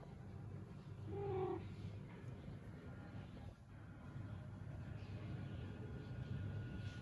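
A Scottish Fold cat lets out a single brief meow, a soft mid-pitched tone that bends upward and fades. The rest is a constant low rumble of indoor background noise with no further calls.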